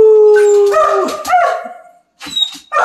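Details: Excitable Siberian Husky singing with its owner during play at home; a steady sustained howl that breaks into a wavering yodel and fades out, followed by short soft vocal bursts.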